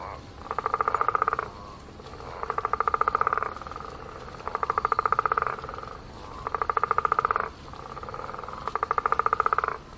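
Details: A frog by a pond gives pulsed, rattling croaks about a second long, repeated every two seconds.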